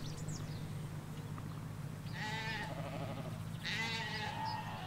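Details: A Hampshire sheep field with ewes and lambs: two brief bleats, the second a little louder, rise out of a steady droning background of distant road noise.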